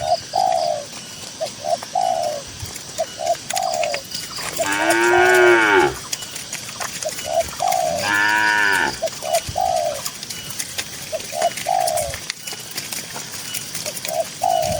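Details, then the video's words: Tame cattle grazing on a cool green rural pasture: two drawn-out moos of about a second each, several seconds apart, rising then falling slightly, over a steady chorus of short, repeated dove-like coos. "Suara Moo Moo Sapi Lembu yang Lucu di Tengah Ladang Hijau yang Sejuk"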